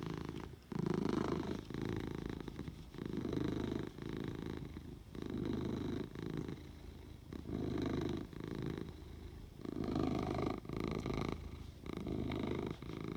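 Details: Housecat purring continuously, a deep pulsing rumble broken into about ten regular breath cycles over thirteen seconds, each exhale a steady buzzing burst followed by a short quieter inhale; no other sounds.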